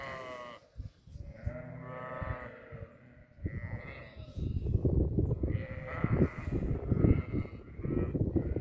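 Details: Goats on a goat farm bleat with quavering, nasal calls, followed by a busier stretch of overlapping bleats and shuffling noise.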